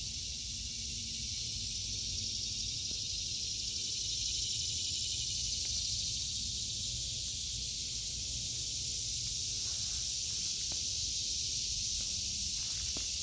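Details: Cicadas singing over a vegetable garden in August 2023, an unbroken, shrill, sizzling drone that stays level and steady for the whole stretch, with only faint occasional clicks beneath it.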